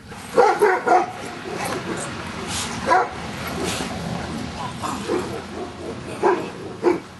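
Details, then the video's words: Giant Schnauzer named Luther barking during Schutzhund stick hit training, being accustomed to stick hits; short barks in bursts, some paired, with sharp cracks and people talking in the background. "Luther Giant Schnauzer Schutzhund Stick Hit Work"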